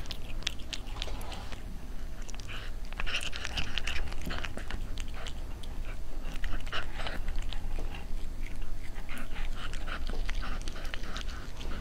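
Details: Cat eating, with steady crunching and biting: rapid irregular clicks of chewing run through the whole stretch over a low indoor rumble.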